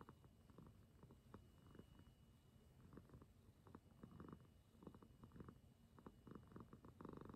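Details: Rescued former stray house cat that became very affectionate toward its mama, purring steadily: a rhythmic, throbbing low rumble broken by regular rasping pulses, several per second, in a quiet room.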